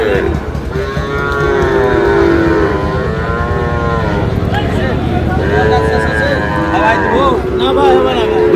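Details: Sahiwal bull calves purchased by a farmer from Noakhali, Bangladesh, moo repeatedly in long wavering arcs, one low call flowing into the next, with a busy hum of voices and traffic behind.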